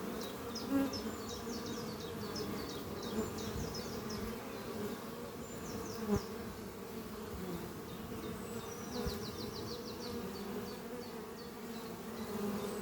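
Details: Honey bees flying at the beehive Doppio, a horizontal hive made from an old French oak chest under trees, on a spring morning while bringing in pollen: a dense, steady low hum, with repeated high chirping bird trills in the background.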